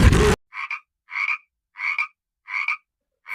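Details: A frog croaks in a steady series of short, rasping double-pulsed notes, repeated roughly every 0.6 seconds with silent gaps between, following a brief burst of unrelated loud noise at the start.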